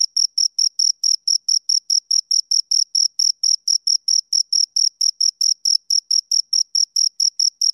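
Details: Rapid, even chirps from two crickets, each pulse brief, shrill and pure, following one another roughly four to five times per second without pause; no other sounds.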